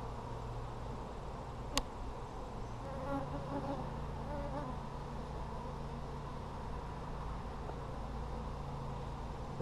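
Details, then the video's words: Colony hum from honey bees in an Apimaye hive being inspected for brood on July 23, 2020: a constant low drone, briefly joined by a wavering buzz after a single sharp click near the start. "Bee Check July 23, 2020"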